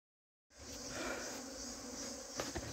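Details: Bees of a colony trying to swarm away, kept from leaving with a queen gate fitted on the evening of the 25th. A steady, dense, droning hum with layered low tones, with a faint crackle near the end.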